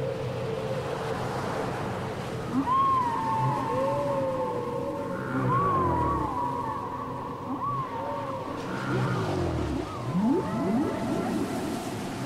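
A whale sings in long, sliding moans and swooping whistles over a low underwater rumble.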